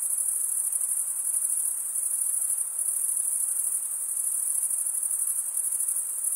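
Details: Crickets chirp in a steady, shrill, high-pitched chorus, a sound made by males drawing a wing edge across a comb-like vein. It holds a fast rippling pulse throughout, with gentle swells in volume and no other noises.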